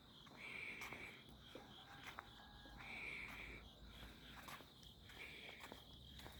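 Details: Night insects in summer alleys, 11 August 2025, recorded on a walk: a continuous shrill trill underlies rasping bursts that come roughly every two seconds, with faint footsteps.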